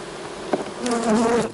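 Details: Brief, wavering buzz of a honey bee flying close during work on a fall split, the pitch rising and dipping over a second after a single knock from hive equipment.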